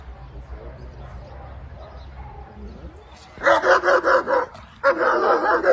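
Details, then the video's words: Guard German Shepherd Dog barking: a few seconds of quiet background hiss, then two bursts of rapid, rough barks, each burst packed with several barks in quick succession. "pastor alemão para guarda"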